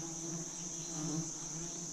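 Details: Giant honey bees at a wild nest during a honey harvest by a bee-hunting team, the nest said to hold about 100 kg of honey; a steady low droning hum with a faint overtone, under a continuous high, even hiss.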